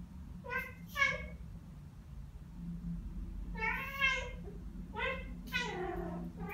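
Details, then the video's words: Indoor Ragdoll cats Ao and Aki, one year and nine months old, reacting to birdsong with bird-like sounds: two quick chirps, then after a pause three rising and falling harmonic trills in close succession. "고양이 채터링? Cat Chattering"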